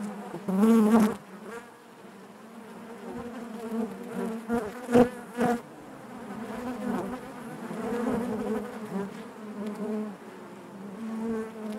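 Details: Inside a honey bee hive, a dense low drone of many wings, broken by several sharp loud bursts early on and around the middle as individual bees pass near, then settling into an even, layered hum.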